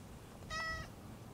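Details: A single short, soft meow from a stray cat as its lower back is patted, clear and evenly pitched, over a faint low background rumble.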